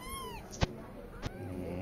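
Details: Cat with kittens, a newborn kitten pushing its larger siblings aside to nurse; a high kitten mew falling in pitch at the start, then two sharp clicks, with a woman speaking Telugu nearby.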